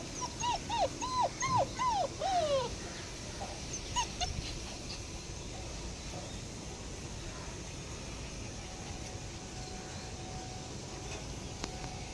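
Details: German Shepherd puppies whimpering: a quick run of about six high, thin whines, each falling in pitch, packed into the first three seconds. A couple of fainter squeaks follow, then only low background noise.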